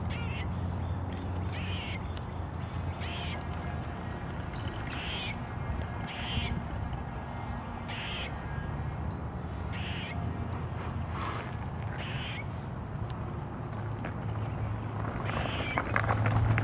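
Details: Grey squirrel giving an alarm call while eating, recorded 15 February 2023: short harsh buzzy bursts repeated roughly every second, over steady low background rumble.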